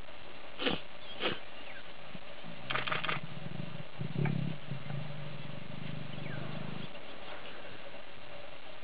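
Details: Lioness in the Sabi Sands, South Africa, trying to lure a tired, uninterested male to mate: low, deep rumbling moans from about three to seven seconds, preceded by a few sharp clicks and a quiet human voice.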